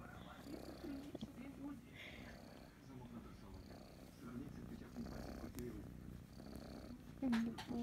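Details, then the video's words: Kitten Kryska, enjoying being stroked, keeps up a softer low purr beneath a woman's murmured voice, with rustling and a few clicks near the end. "КОТЁНОК ГРОМКО МУРЧИТ"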